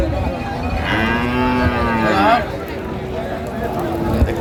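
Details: Friesian and crossbred heifer calves, about six to seven months old, at Raniganj cattle market in Dinajpur on 9 February 2025; one drawn-out, harmonic moo swells and rises slightly before ending, over market chatter and background noise.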